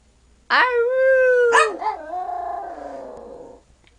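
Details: A 12-year-old male Yorkshire Terrier, very tiny at home with family, sings when asked: one sustained tonal howl, a sharp break, then a long wavering lower note fading out after about three seconds.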